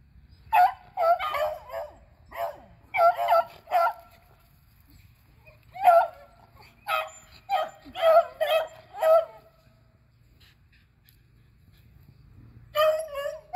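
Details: Three beagles, Athena, Zeus and River, chase squirrels in April 2020, giving clustered bouts of loud, resonant barking, several dogs overlapping, with short quiet gaps between bouts and a final burst near the end.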